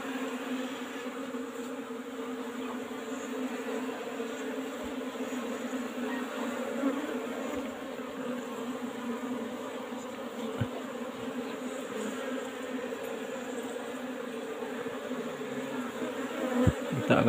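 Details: Colony of Asian honey bees (Apis cerana) in an old-fashioned box hive being opened for honey harvest, giving a continuous low droning hum with faint handling knocks and rustles, louder toward the end.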